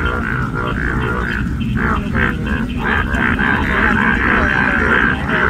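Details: Many yellow frogs in a Kerala paddy field near Kollam give overlapping, pulsing croaks in quick succession, forming a continuous droning chorus with uneven rhythm.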